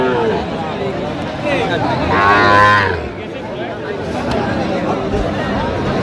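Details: Sahiwal bull calves at a cattle market in Dinajpur, Bangladesh; one clear, rich moo lasting about a second rises above background chatter, followed by murmuring crowd sounds.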